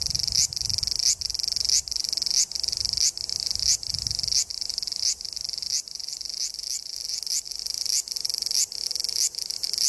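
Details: Cicada heard while hiking Japan's Tokai Nature Trail toward Sekigahara: a high, rasping pulsed song in repeated bursts roughly every 0.7 seconds, each finishing with a short rising accent, low rustling early on.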